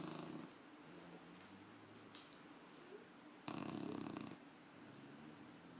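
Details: Puppy snoring while asleep: one long rasping snore near the end, pulsed and broadband, with softer whistling nasal breaths between snores in a quiet room.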